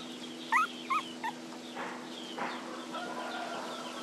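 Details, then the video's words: Puppies crying because they need their mother nearby: three short, high, rising-and-falling whimpers in quick succession early on, then quieter background chirps and scattered clucking-like sounds over a steady low hum. "Puppies Cry Need Mom to Be Around"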